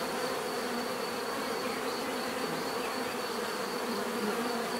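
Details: Bees buzzing together in a steady, dense hum with bands around 250 and 500, a continuous high thin tone near 4.5k above, level unchanging throughout.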